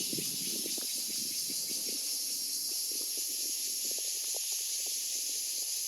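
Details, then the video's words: Cicada song: a steady, unbroken high-pitched buzzing hiss that fills the whole recording without pause, with faint low thumps and rustles underneath. "Cicada's sound"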